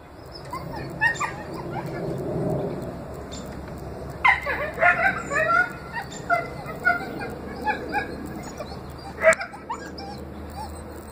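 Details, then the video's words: Four rescued coyotes howl together in the morning, a chorus of wavering, rising wails broken by sharp yips. "Good morning howling coyotes !"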